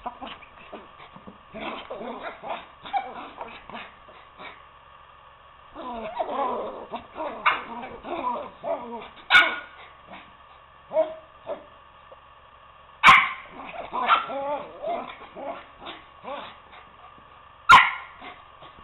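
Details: Poodles Toby and Lucy at play indoors, Toby urging Lucy off the couch to wrestle; bursts of rough growling and snarling alternate with brief quiet gaps, punctuated by sharp yips and a few loud knocks.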